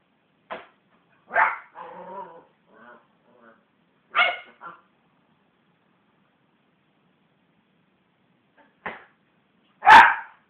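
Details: Belle, a West Highland White Terrier, growls and barks as hands bash on the sofa: scattered short yaps, a low rumbling growl near two seconds, then louder sharp barks toward the end with quiet gaps between.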